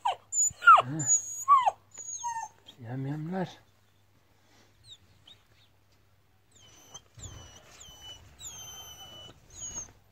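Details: Kangal puppies whining in short, high, sliding whimpers during the opening seconds, followed by a person talking, then quieter repeated bird chirps with faint rustling in the background.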